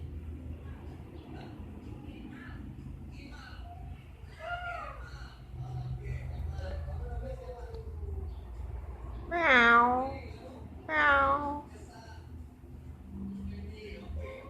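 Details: Pair of domestic cats said to be affectionate with each other; two strong drawn-out meows about a second and a half apart come late, after quieter chirping sounds and low indoor hum with faint voices.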